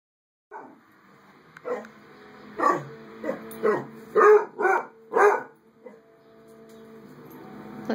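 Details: Pet dog that keeps a cat away from its owner, vocalising at the cat: about eight short, yowling barks at roughly one-second intervals in a quiet room.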